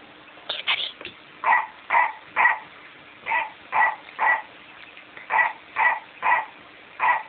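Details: PaddyMac, a pet dog, attacking a much-loved McDonald's Clifford toy; short, harsh barks in a steady run about every half second, opening with a couple of higher, quicker yelps, recorded indoors with little else audible.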